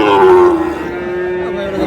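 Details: Sahiwal bull calf at a cattle market in Cox's Bazar, Bangladesh, bought by a farmer on 24 February: a loud, half-second, falling moo with rich overtones, then a softer, lower drawn-out lowing tail.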